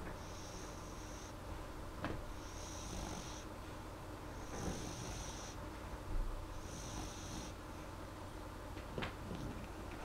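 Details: Molly, a pet dog, asleep and snoring softly: hushed breathy snores return about every two to two and a half seconds, each a faint airy rush, over a steady low indoor hum.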